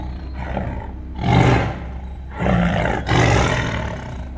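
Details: Roaring tiger, a sound used to mark territory that carries up to 2 miles: three deep, rough bursts about a second apart, each with a strong low throaty tone and a broad gravelly top.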